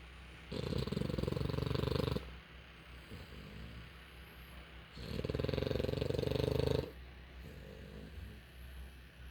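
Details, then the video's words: Sleeping puppy, exhausted after playing all morning and most of the afternoon, snoring loudly: two long, rough, low-pitched breaths about two seconds each, separated by quieter breathing, with a steady background hum. "Puppy Snoring"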